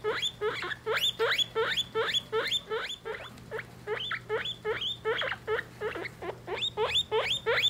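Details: Three-week-old guinea pig babies with their mother during weighing: a fast, steady run of short, sharp, upward-sweeping squeaks, close to three each second, over a low constant hum.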